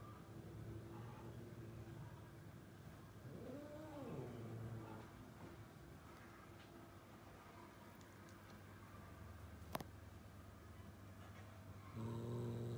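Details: A house cat, one of two pets named Sousou and Koulis that like to play with flowers beside a vase, gives a single soft meow that rises and falls near four seconds over a low steady hum, with a sharp click later.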